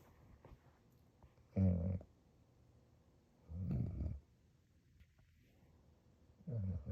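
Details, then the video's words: Loki, a sleeping pet dog, snoring indoors in a small room: three low, rough rumbling breaths spaced about two to two and a half seconds apart, with quiet pauses between them. "Dogs snoring"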